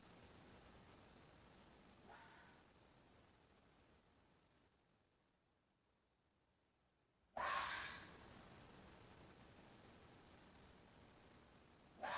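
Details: Fox in mating season: a faint distant rasp, then after a silent gap a sudden loud, harsh scream fading away, and another loud cry starting at the very end.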